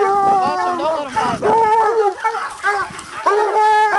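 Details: Two coonhounds, a bluetick and a walker, working a raccoon held in a hanging cage; quick overlapping chopped barks and short howls pour out in a rapid, uneven stream with no break.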